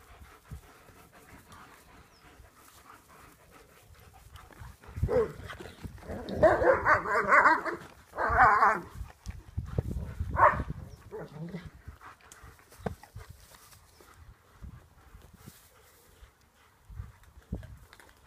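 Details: German Shepherds at play, with a burst of rough, harmonic growling and barking vocalizations in the middle, several seconds long, then quieter scuffling and rustling.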